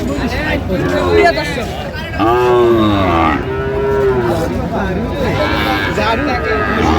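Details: Sahiwal bull at Ambari cattle market on 18 August 2025, bought by a farmer from Barishal: two drawn-out, arched, low moos with rich harmonics, the second slightly longer, over steady crowd talk and market hubbub.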